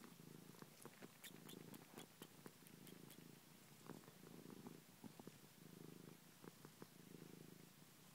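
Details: A pet cat named Ninja sucks a finger and purrs steadily, a low buzzing rumble rising and falling in regular breaths, accompanied by small sharp wet clicks from suckling.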